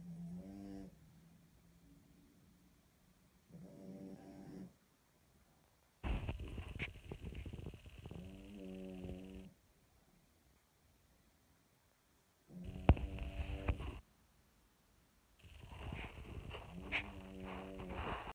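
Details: A French Bulldog snores in deep, rattling breaths with a buzzy, nasal edge while sleeping with a ball in his mouth.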